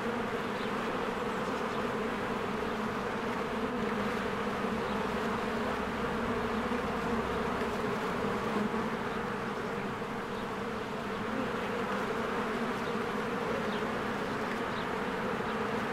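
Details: Honeybees in spring flying in and out of their hive as flowers bloom, a dense steady drone of many wingbeats with layered hum bands, continuous and even in loudness, faint high bird chirps flickering above.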